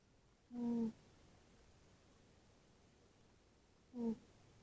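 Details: Tootsie, a sleeping tabby cat, snoring indoors: two short nasal, tonal snores with a low humming buzz and faint overtones, about three and a half seconds apart, with quiet room hush between them.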